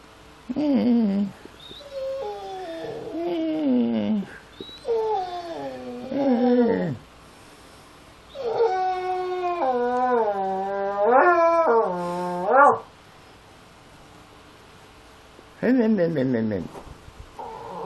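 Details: Pitbull XL and Amstaff XL mix nagging at 7 in the morning to be let into the back garden: drawn-out whining howls sliding up and down, in several bouts separated by pauses, some ending in falling wails.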